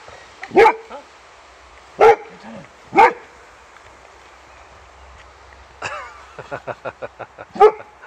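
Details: Boxer Rex barking while greeting old friend Anders at their reunion; three loud spaced barks, then a rapid run of short yips and a final bark, over faint background hum.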